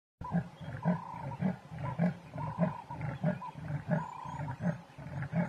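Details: Big male leopard walking in the middle of a road, giving deep, rasping grunts in a steady sawing rhythm, about ten in five seconds, each a low pulse with a hoarse upper edge; faint higher tonal notes sound in the background.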